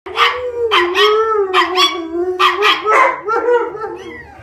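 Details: Alaskan Malamute Kalia howls with her best friend Mikhos, a PomChi, the only companion she will howl with. A steady, wavering low howl runs throughout, overlaid by higher, choppy yipping bursts that rise and fall in quick succession.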